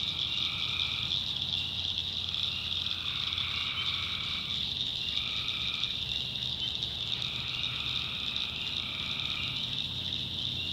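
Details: Tree frogs heard after dark in a backwoods swamp of North Carolina, giving several softer, drawn-out trilled calls of one to two seconds, partly overlapping, beneath a loud steady high cricket whine.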